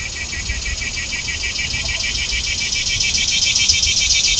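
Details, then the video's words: Cicadas in trees drone in a loud, high, buzzing chorus pulsing about three to four times a second, with mourning doves present, over a faint low rumble of distant traffic. "Loud Cicada Sounds Coming From The Trees"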